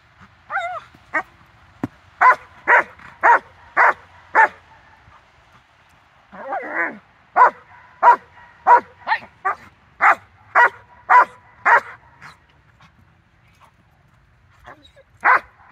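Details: Dog barking during a training session with collar line and harness, September 4, 2022: a long run of about eighteen sharp, mid-pitched barks, mostly evenly spaced, with a hoarse whine near the middle and a pause before a final bark.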